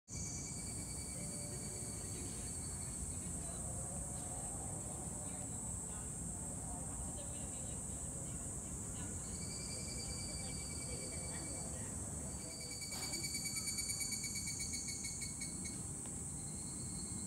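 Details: Evening cicada, higurashi, singing at dusk in Yoyogi Park, Tokyo: high, shrill, sustained tones with a pulsing band that rises in the second half and a brief louder trill near the end, over a constant low city rumble.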